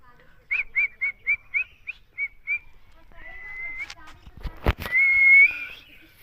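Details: Fighting puppies give a quick run of eight short, high yips, then longer level whines, broken by a loud sharp knock near the end.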